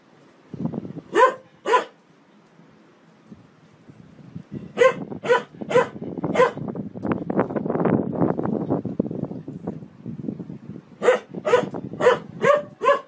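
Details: Dog barking at home: two sharp barks, then a burst of rapid barks, a stretch of low rumbling noise, and a final run of quick barks in a tight series.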